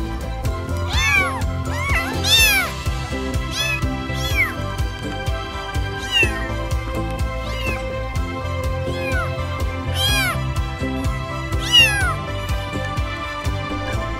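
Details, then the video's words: House cat meowing to get human attention, each personal call signalling a different need; a series of rising-then-falling meows, several in quick succession, over steady background music. "แมวบางตัวยังพัฒนาการร้องแบบส่วนตัวที่มีแต่เจ้าของที่เข้าใจ"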